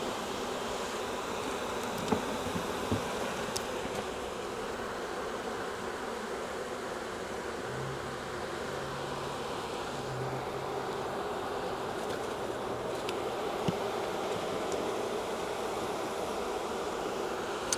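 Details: Wild honey bee swarm hanging from a tree branch, being collected into a 5-frame nuc box; a steady, dense low hum runs unbroken throughout, with a few faint clicks and knocks over it.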